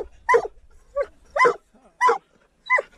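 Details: During a mink hunt with a dachshund, a treeing walker coonhound gives sharp, ringing barks, about five bursts spaced roughly half a second apart, with quiet gaps between and faint low noise at the start.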